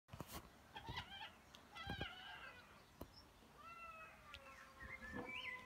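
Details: Mother cat angry at her naughty kitten: several short, thin, tonal mews in bursts near one and four seconds, with scattered sharp clicks and knocks around them in a quiet room.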